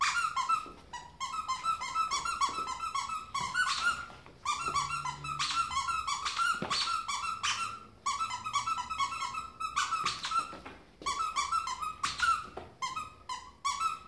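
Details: Pet ferret leaping around indoors like a dog, giving a near-continuous run of shrill, harmonic squeaks in rapid clusters, broken by a few short pauses and some thumping from its movement.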